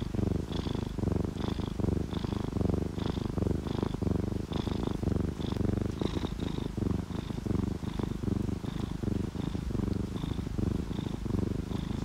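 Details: A sleeping ginger tabby or calico cat purring while relaxed: a low, rough rumble pulsing steadily with each breath, with light high drips ticking above it.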